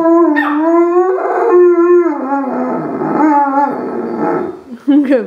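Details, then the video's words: Giant Alaskan Malamute and Chihuahua howling along with a siren heard every Wednesday at noon. Loud wavering howls with rich harmonics bend up and down, overlapping voices, and a person praises one of the dogs at the end. "Giant Alaskan Malamute and Chihuahua Howling with the Siren"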